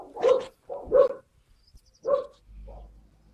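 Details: Skye Terrier puppies, 5 June 2016: three clear short yapping barks about a second apart, then a softer yip over a low background hum.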